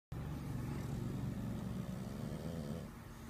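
An English bulldog snores with a deep, rough, rattling rumble that carries steadily through each breath.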